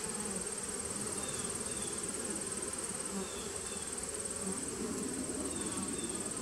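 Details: Colony hum from bees in a 2017 nuc, recorded 2018-09-19: a thick, unbroken low buzz with small fluttering pulses of passing wings and a steady faint high tone in the background.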